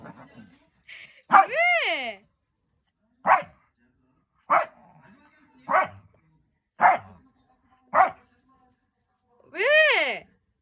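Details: A Shih Tzu mother barks at her daughter for no apparent reason, giving sharp, high barks about once a second, with drawn-out whining yelps at the start and end.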